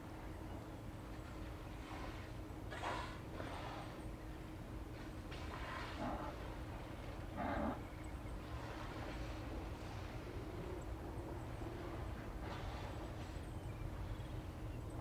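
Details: Steller sea lions on a beach watched by the OrcaLab cam near Blackney Pass, Hanson Island, British Columbia, on the afternoon of 18 September 2018. Several gruff, throaty growls and bellows come in clusters over constant low-frequency rumble.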